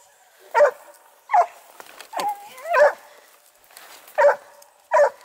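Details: Dogue de Bordeaux at the amateur breeding kennel Les Dogues de Plaine, giving six sharp, separate barks spaced roughly a second apart, with a faint whine between the third and fourth.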